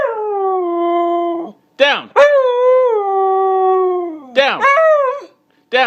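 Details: Pet Siberian Husky protesting an order to get down, giving sustained howls broken by short sharp rising-falling yelps, drawn-out notes wavering slightly, while its owner keeps repeating "down".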